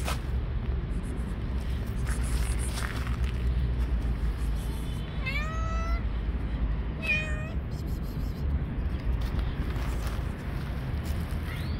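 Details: Hungry stray cats living on the street meowing for food: two clear, drawn-out meows near the middle, each bending down in pitch, over a steady low rumble of outdoor background noise.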